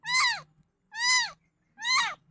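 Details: Three loud, drawn-out cat meows, each bending upward and then falling away, separated by short pauses and a faint low hum in the background.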